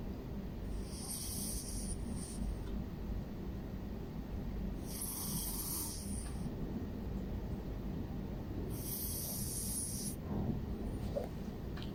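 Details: A sleeping cat described as a panda cat snores steadily. Low, rumbling breaths fill the recording, and a hissing exhale returns roughly every four seconds, three times over twelve seconds.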